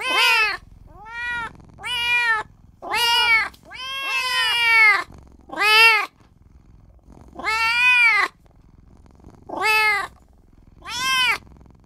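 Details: Tiny newborn kitten calling for its mother and owner, giving about nine shrill arched meows in quick series, some overlapping in a double cry, with short pauses between and a quiet background.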